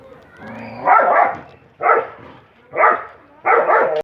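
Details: Mixed-breed dog, a Belgian Shepherd crossed with a Rottweiler, playing intensely with a companion dog; four loud, harsh barks spaced about a second apart, each a short broad burst, preceded by a softer drawn-out whine-like tone.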